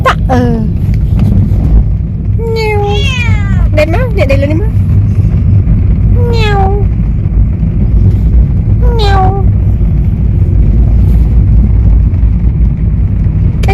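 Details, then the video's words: Talkative pet cat travelling for the first time meows repeatedly, about six drawn-out falling and wavering meows spread across the stretch, over a constant loud low rumble from travel. "Talkative cat travel for the first time"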